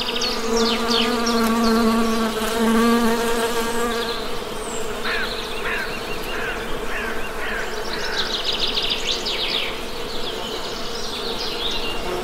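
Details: Western honey bee buzzing, a strong steady low hum with bright overtone bands and a louder, fuller drone during the first seconds, with rapid high bird chirps and trills scattered on top.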